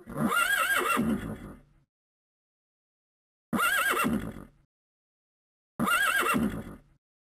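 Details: Horse whinnying three times, each neigh a shrill, quavering, wavering cry over a breathy rumble. Each lasts about a second and a half and is separated by silent gaps of a couple of seconds.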